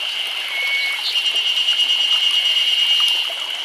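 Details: Cicadas in chorus in summer in Nagano Prefecture, Japan, a steady high-pitched buzzing drone that holds without pause.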